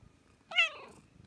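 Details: Indoor Ragdoll cat, two years and six months old, in high spirits and answering its owner; a single short meow, bright and clear, that starts high and slides downward over under half a second in a quiet room.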